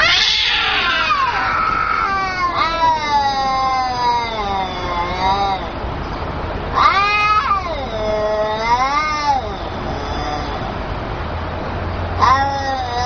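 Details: Fighting cats yelling: a loud opening screech, then long, wailing caterwauls that swoop up and down in pitch, repeated several times with brief pauses and a faint low hum underneath.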